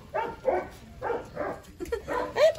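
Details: Eleven Rottweiler puppies, freshly dewormed and hungry, squealing as they beg for food; a run of bright, wavering whines and yelps, roughly five bursts across the stretch, some rising at the end, pups crowding together.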